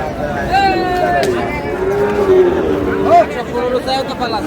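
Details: Sahiwal bull calf at a cattle market in Chittagong, Bangladesh, on 5 June: a drawn-out, wavering moo under steady market noise, with a short upward call near the end.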